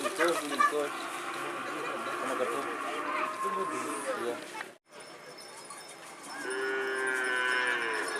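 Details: Madurese bull race training at the Asemanis ground, Pamekasan, East Java, Indonesia; a noisy, busy crowd stretch, then after a brief cut a sustained low moo rises clearly over a murmuring background.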